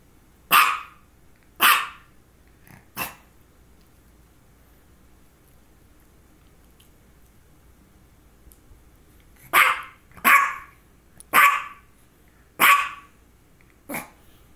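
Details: A female dog with focal seizures, one just before the recording and another shortly after, barks three times. A long silence follows, then a faster run of five or six sharp, bright barks.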